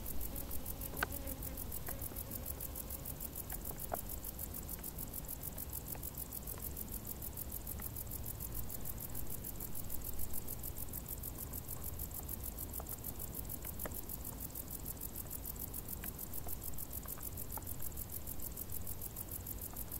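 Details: Summer crickets in tall grass keep up a dense, continuous high-pitched pulsing that stays even for twenty seconds, with a low background hum and scattered faint ticks.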